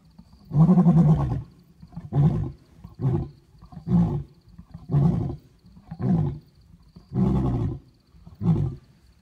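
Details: A lion in Kruger gives deep, booming roars, each burst repeated about every second or so.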